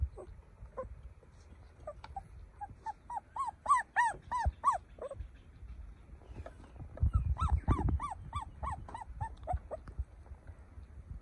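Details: Young puppy whimpering and crying: a quick series of short, arched whines that grow louder and then stop. After a pause of rumbling background noise, a second burst of rapid cries follows, then scattered faint yips.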